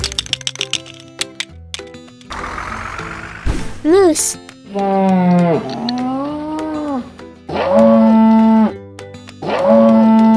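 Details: Moose calling with long, low moaning notes that bend and waver, a few drawn-out cries spaced a second or two apart, over a bright children's music backing with a short spoken word.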